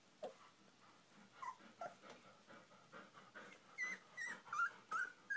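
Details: Golden Retriever puppies, 16 days old, giving faint high whimpers and squeaks that rise and fall, several short calls overlapping, with soft rustling and shuffling between them.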